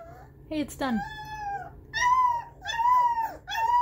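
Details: Baby puppies howling in reaction to music: a short sharp yelp, then three drawn-out, slightly wavering howls that rise and sag, each about half a second to a second long, separated by brief pauses, over a faint low indoor hum.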